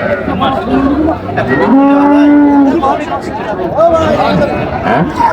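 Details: Dairy cattle of an improved breed, cows with calves, at the Raniganj livestock market in Dinajpur on 27 July 2025. One steady, even-pitched moo lasts about a second, set against constant crowd chatter and people bargaining.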